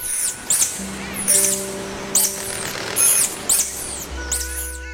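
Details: Tarsier calling at night in the Sulawesi forest, Indonesia: sharp, high whistled sweeps that seem to jump from point to point, coming in short bursts about every half second to second, over steady background music tones.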